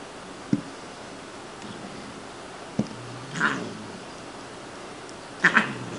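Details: Siamese cat Shiloh, a female found as a tiny kitten behind a grocery store, playing indoors and not angry; two short breathy, noisy bursts a couple of seconds apart, with faint soft taps earlier in a quiet room.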